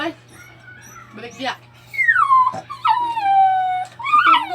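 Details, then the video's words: Crying dog: high whines that slide downward from a sharp start, with one long drawn-out whine that falls and then holds steady, followed by a brief rising whimper at the end; background quiet apart from faint noise. "Crying dog"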